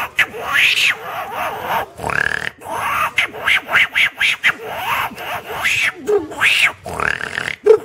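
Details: At Kunjapuri, 18 km from Rishikesh, monkeys and langurs give a rapid run of harsh, grunting calls, each rising and falling in pitch.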